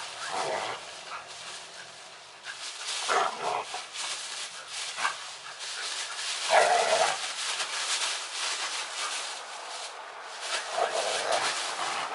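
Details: Snap, a Bull Terrier puppy, fooling around playfully with Tigrik; a few short, mid-pitched yelping barks come at irregular intervals over a constant hissing background.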